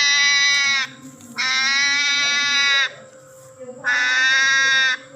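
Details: Hedgehog crying like a baby: three loud, sustained, harmonic-rich wails, each about a second long, separated by short quiet gaps, with a faint low hum underneath.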